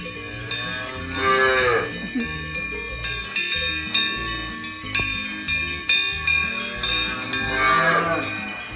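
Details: Cow mooing in drawn-out, bending calls near the start and end, with clanking cowbell strokes repeating throughout and background music underneath.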